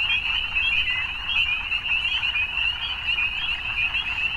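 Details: Evening frogs calling together: a dense, continuous chorus of high, shimmering trills that merge into one steady band, with faint low rumble underneath and no pauses.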